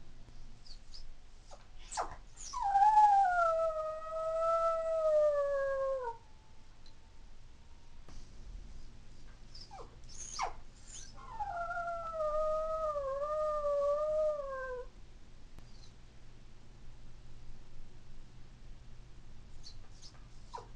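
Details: Howling from a female toy poodle born in 2003, left at home and missing her family; two long, wavering howls about four seconds each, separated by a pause and brief cries, then quiet.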